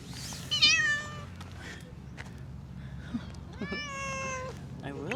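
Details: Stray female cat, described as jealous, lets out a sharp meow then a longer, steady meow later, amid soft human speech and a low background hum.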